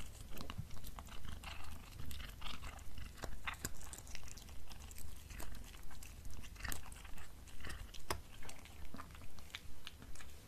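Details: Black cat munching beef snacks indoors: evenly paced crunchy bites and crackles repeat throughout, sharp and close, against a soft low hum.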